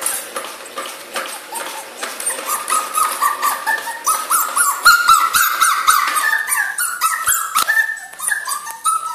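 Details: The puppy Miu, aged two months, cries with thin high whines starting soft and growing louder and more urgent midway, short bent notes repeated in uneven runs before easing off.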